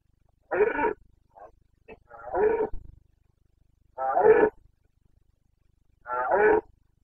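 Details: Carpathian red deer stag roaring during the breeding season in Bucovina, Romania, 29 September 2022: four loud, harsh, rasping bellows, each under a second long, with fainter grunts between them against a quiet background.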